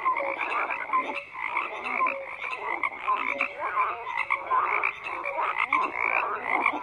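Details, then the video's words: Croaking frogs fill the night air as a steady chorus, rough buzzing croaks repeated rapidly by several callers, interspersed with brief tonal peeps, no gaps in the sound. "FROGS CROAKING"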